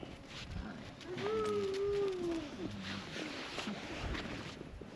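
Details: Siberian Husky sled dogs on a winter sled-dog tour near Ogre, Latvia, at about -13°C; one drawn-out, slightly falling whine-like howl lasting just over a second, over outdoor background noise and faint voices.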